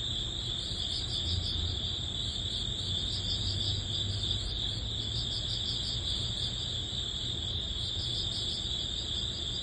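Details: Early autumn grass insects, crickets, as summer ends: a continuous shrill trill runs unbroken while a higher pulsing chirp repeats quickly, with low background rumble underneath.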